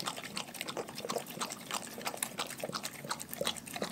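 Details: Dogs in a pack eating a raw food diet: quick, wet, uneven chomping and smacking clicks, about three each second, sounding close and moist.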